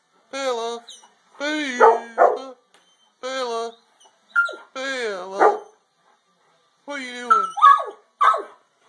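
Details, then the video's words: Dogs howling: short bursts of drawn, harmonic howls with wavering, sliding pitch, some notes falling at the end, separated by brief silences, with a few higher yips mixed in. "Howling dogs"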